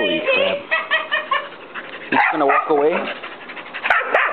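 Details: A young mixed-breed dog barks and whines while trying to get a long-haired Chihuahua to play; a few quick yaps open the clip, followed by whiny, rising vocal sounds and soft grumbles, with faint human voice mixed in.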